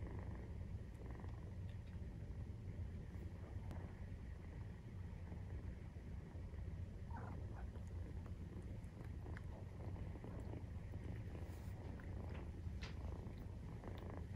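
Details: Maine Coon cat purring during nursing, kittens 43 days old, indoors; a steady low rumbling purr runs throughout with faint soft clicks and rustles above it.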